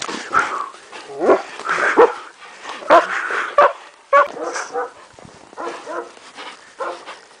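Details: Kuvasz named Zoltan playing in the snow with a young boy, giving short loud barks at irregular intervals, mixed with a person's calls and voices.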